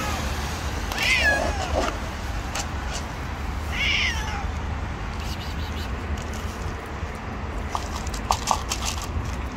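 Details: Hungry street cat crying for food from behind shields; two wavering meows early on, then faint clicks and rustles over a constant low rumble.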